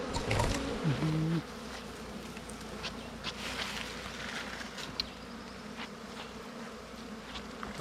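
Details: A man talks briefly at first, then the humming of wild bees at a dug-out nest during a honey hunt takes over, a steady buzzing drone with faint ticking knocks.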